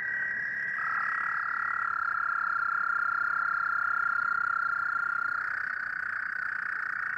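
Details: American toads in Rouge River watershed wetlands, Michigan, give long, steady musical trills, several voices overlapping at slightly different pitches; they start calling in April, with a full chorus by April 15.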